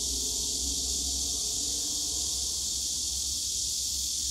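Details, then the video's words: Loud unbroken cicada drone fills a summer day in Yongsan Family Park's bamboo grove, an even high hissing buzz with a faint low rumble of distant city noise. "용산가족공원 대나무숲 매미소리"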